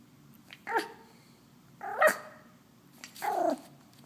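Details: Wolfgang, a wolfdog, making his first attempts at barking: three short, hoarse, harmonic yelps spaced about a second apart, the middle one sharpest and loudest, in a quiet indoor room.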